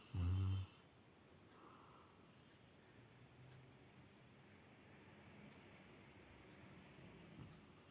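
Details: A sleeping Rottweiler lying beside its owner gives a single deep, rumbling snore, followed by quiet room noise.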